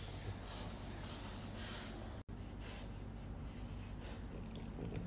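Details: Isa and Hugo, two French Bulldogs from Slovenia, make breathy nasal snorts, a handful of soft rasping puffs spaced about a second apart against constant low-pitched room hum.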